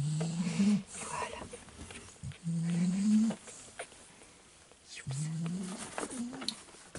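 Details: Just-woken fawn male Staffordshire Bull Terrier puppy, 34th litter of the STAFFORDLAND breeding kennel, recorded 19 October 2018; three low groaning whines, each under a second and gently rising, separated by pauses of about two seconds, with faint handling noise.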